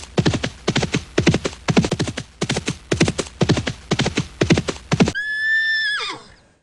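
Galloping hoofbeats, about two per second, are followed by a high, shrill horse whinny that falls away at the end.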